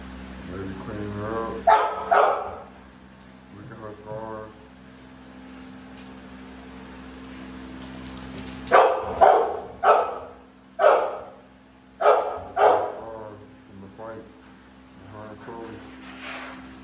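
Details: American Bully dogs Navi and Nyla, with a person speaking and scattered barks early, then a lively run of about six loud, rough barks in the middle, trailing off into softer barks and talk.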